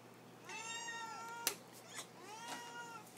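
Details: Lily, a house cat asking for her food, gives two long arched meows about two seconds apart, each rising then falling, with a sharp click between them in a quiet room.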